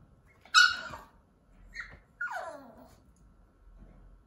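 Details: Mameshiba puppy named Koro, indoors in its pen during toilet training: a sharp high yelp, then two drawn-out whines sliding steeply downward about a second apart, with a faint rustle afterward in a quiet room.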